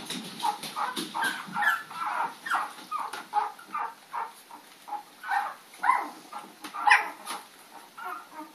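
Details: Playful puppies chasing the dog Lady on April 4, 2013, giving a rapid string of short barks and shrill yips, roughly two or three per second, with one louder squeal near the seventh second.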